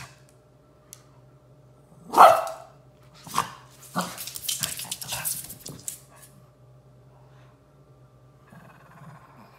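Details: Indoor Shih Tzu of the Furry Duo: one sharp loud bark, then a few softer huffs and a burst of scuffling growl-like noise, followed by quiet room hum.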